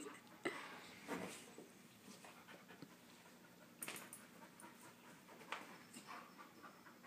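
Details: Husky pup wrestling with other dogs in play; quick breathy pants and snorting huffs come in uneven bursts, with sharp scuffling knocks between them and a quiet room behind.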